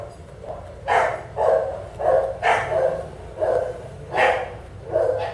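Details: Bulldog at a veterinary practice in southern California during a skin scrape for demodex mites, giving short mid-pitched protesting barks about every half second in uneven bursts, seven or eight in all.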